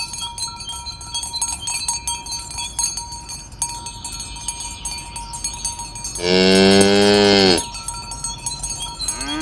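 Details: Cows being driven to their pen on a village road in the morning, lowing to call the herd together; steady jangling cowbells fill the first six seconds before one loud, sustained, deep moo lasting over a second.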